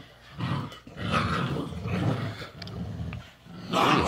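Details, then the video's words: Dog mother with her puppies, teaching them: low rumbling growls in drawn-out bursts, rising and falling over a few seconds, with a sharper higher yelp near the end. "DOG MOM TEACHING HER BABIES"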